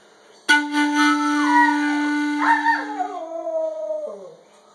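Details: Pet dog howling along as its owner plays an instrument: a wavering howl that slides downward, rises sharply near the middle, then glides down again, over a steady sustained low instrumental note that stops abruptly near the end.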